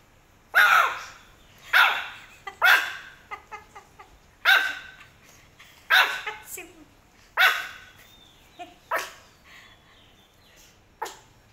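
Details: Angry pet Pomeranian barking indoors while a garbage lorry collects rubbish. Loud, sharp barks come roughly every one to one and a half seconds, with quieter yips between them. A woman speaks softly, soothing the dog.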